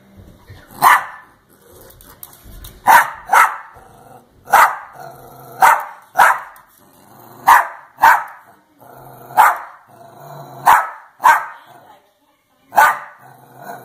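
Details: Older female dachshund barking in protest at her younger sister for being in her crate, indoors: sharp, loud single and doubled barks, about a dozen in all, spaced roughly one to two seconds apart, with faint low growling between.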